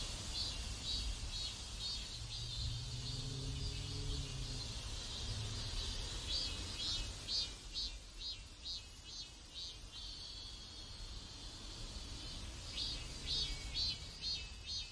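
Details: Neighborhood cicadas in South Korea give a shrill, rapidly pulsing buzz, about two pulses a second, fading mid-clip and returning strongly, while a low droning tone rises briefly early on above steady background rumble.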